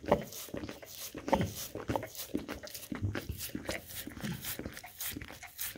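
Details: Golden Retriever licking peanut butter and munching apples and blueberries off a charcuterie board indoors, captured with a Samsung Galaxy S10e; rapid slurping laps and soft crunches, with a few brief low snuffling breaths between bites.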